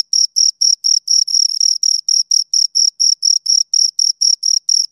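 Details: Rapid, evenly repeated high-pitched chirps from two crickets, each burst a short scraping trill, steady in loudness with nothing else audible.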